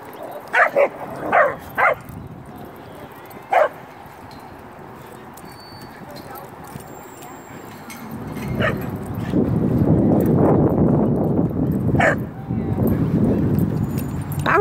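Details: Short-legged Welsh Corgi herding other dogs, its herding instinct at work: a quick cluster of sharp barks, then one more bark, before loud rushing broadband noise takes over, with faint further yips.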